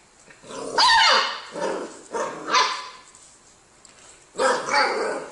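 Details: Pet dog indoors, shown in a funny clip about dogs and lemons, letting out a sharp bark followed by several shorter, rough barks and a final pair of harmonic barks after a short quiet gap.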